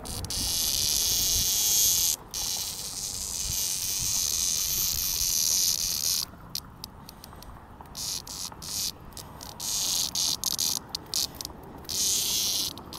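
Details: Cicada being rescued and released in 2021; a loud, steady, high-pitched buzz runs for about six seconds, then breaks into choppy, irregular pulses with short gaps, over low rustling background noise.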